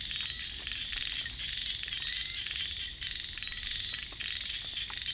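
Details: Night in the rice paddies, with small frogs giving quick trains of clicking, rattled croaks, several bursts per second at times, layered over a constant high-pitched drone of insects.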